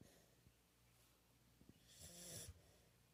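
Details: Pit bull dog snoring softly: one breathy, rasping snore swells near the end of a quiet stretch, over a faint low hum.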